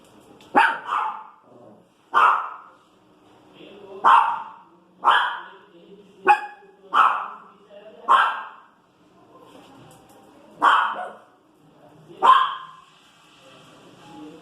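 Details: Female Pinscher complaining about noise out in the street, giving clear, sharp barks spaced one to two seconds apart, about nine in all, with faint voices underneath.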